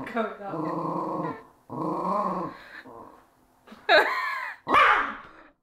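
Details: Four-year-old pet dog of unknown breed, upset at having her leg touched, gives two long rumbling growls followed by sharper, higher yelping grumbles, with a person talking in the room.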